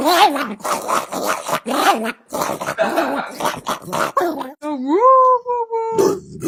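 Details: Pet dog making weird, funny vocal sounds: choppy growling grumbles that slide up and down, then a long rising-then-level whine near the end, with a person talking over parts.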